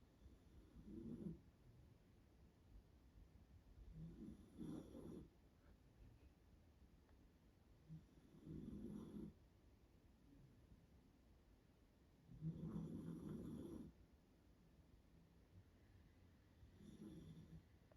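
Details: Staffordshire Bull Terrier. A Staffordshire Bull Terrier puppy snores with low, rattling breaths, each lasting about a second and coming every three to four seconds. Between snores there is only a faint background hiss.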